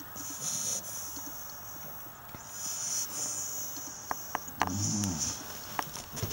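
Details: Seven-week-old Staffordshire Bull Terrier puppy play fighting indoors: low rough growls and snuffles, with a short harmonic whine rising near the end, sharp clicks, and a steady high electronic hiss throughout.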